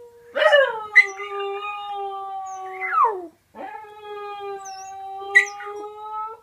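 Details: Lily, a pet dog, howling at random: long sustained harmonic tones holding steady, with a brief gap near the middle before a second drawn-out howl begins.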